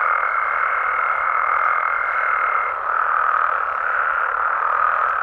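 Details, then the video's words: Frogs and toads calling at night in Mexico: a dense, unbroken chorus of overlapping croaks, with a steady thin whistle-like tone running above it for the first half. "Mexican Frogs & Toads Sounds"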